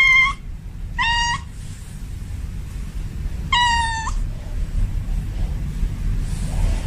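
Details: Male domestic cat in heat calling to a female: three clear, fairly level meows with rich harmonics, the first short, the next two longer, spaced about a second or more apart over a low background rumble.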